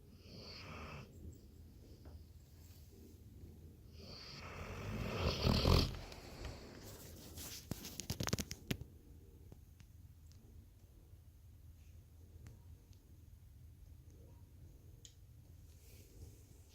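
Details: Snoring Labrador Retriever, a swelling rough inhale peaking around the middle, then sharp clicks and rustling, with soft low breathing continuing afterward in a quiet room.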